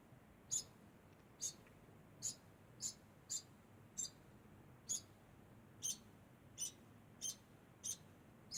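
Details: A degu makes a constant sound: short, very high, squeaky chirps repeated about once every 0.7 seconds, a dozen across the stretch, against a quiet, low background hum.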